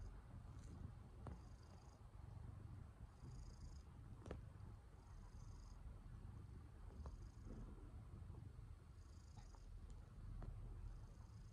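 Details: Domestic cat being affectionate, giving a faint, steady low rumble that runs through the whole recording. Soft clicks occur now and then, and brief high faint tones recur every second or so.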